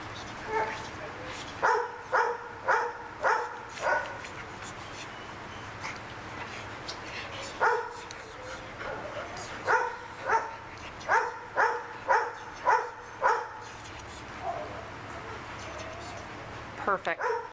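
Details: A 4-year-old, 87-pound Pit Bull Terrier mix up for adoption, barking in bursts: clipped, ringing barks in rapid series of five to six, pausing, then another volley, with a few brief high yips and faint human voices between.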